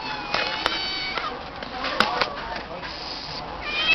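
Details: Female stray cat meowing in response to her name being called, as she does whenever she sees the people who call her; clear harmonic meows at the start and a rising meow at the end, with sharp clicks and a human voice in between.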